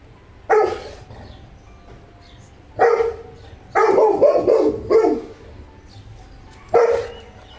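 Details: Saint Bernard dog barking: deep, harsh single barks at irregular gaps, one near the start, another near three seconds, then a rapid cluster of several barks, and a final bark near the end. A faint low background murmur runs between them.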